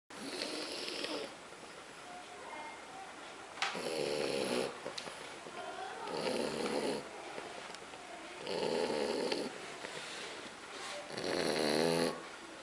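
A French Bulldog snores in loud, rasping bursts roughly every two to three seconds.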